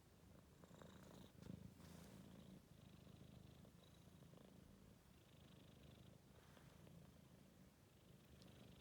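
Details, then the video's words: Snoring of a tired four-month-old Maine Coon kitten asleep after a day of running, a continuous low rasping rumble rising and falling with each breath, quiet room. "Кот храпит"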